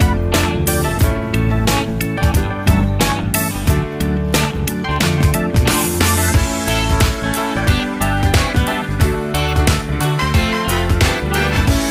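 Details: Loud, upbeat guitar-driven music with a steady beat plays throughout, and no animal voice can be picked out.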